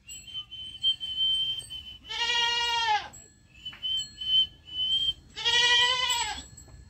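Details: Two loud, drawn-out bleats from a young goat kid, each about a second long with a trembling, nasal quality, with a thin high whistling tone running between them.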